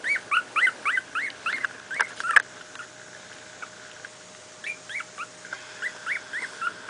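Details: Litter of two-week-old miniature pinscher pups, born 28 July 2008, at play. Rapid series of squeaky, upward-bending yelps, a short pause with a couple of knocks, then further bursts of thin whining squeals.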